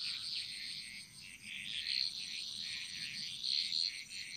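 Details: Frogs singing in chorus in the jungles of Bali: a dense, shimmering high-pitched trill of overlapping calls, swelling and fading in waves, with brighter peaks near the end.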